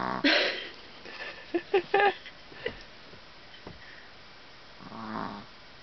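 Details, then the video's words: Exhausted puppy Daisy sleeping after chasing her sister Mylie all afternoon, Minnesota, July 2010: a loud raspy snort opens, followed by a cluster of short throaty snoring pulses and a softer drawn-out breath later, in a quiet room. "Daisy snoring after playing with her sister Mylie all afternoon"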